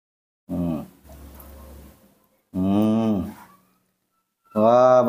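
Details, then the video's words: Hungry newborn baby monkey, hand-reared at home and being fed milk, gives three loud, harmonic, arching cries spaced about two seconds apart, with a low steady hum between them. "Very hu ng ry when I woke up, the sweet voice of a newborn baby monkey was heard again"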